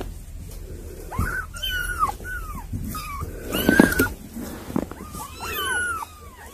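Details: Young kittens, visited by older cats described as their siblings, give many thin, high mews that arch up and fall back down. The mews come in quick overlapping bursts, with a louder cluster midway and soft indoor rustling underneath.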